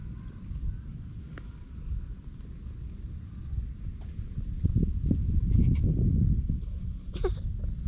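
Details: Park stray, a ginger tabby cat, purring while petted, captured with a GoPro HERO8. A steady low purr rises in strength midway, with brief rustling and a short high squeak near the end.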